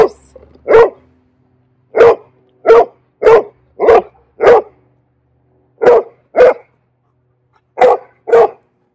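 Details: Frenzy, a nine-month-old female Bernese Mountain Dog puppy, demand barking for attention after petting stops while her trainer turns her back; eleven short, sharp barks come in uneven bursts, mostly pairs and runs, over about nine seconds.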